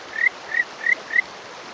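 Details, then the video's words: A small male Kajika frog, perched on a rock on a May morning in rural Yamaguchi, Japan, gives clear, bird-like upward-sweeping whistled breeding calls, about three a second. "岩に上がり鳴くカジカガエル Buergeria buergeri"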